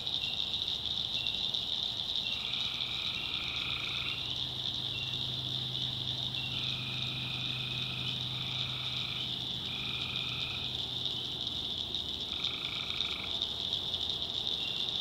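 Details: At night in a North Carolina backwoods swamp, tree frogs keep up an unbroken high trill, with intermittent short two-toned calls every couple of seconds and a low hum rising faintly midway.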